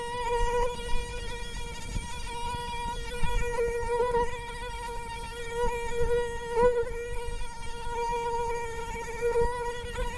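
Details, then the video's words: Continuous whine of a mosquito, a high nasal hum at a nearly constant pitch with slight wavers, unbroken throughout. "Zumbido del Mosquito"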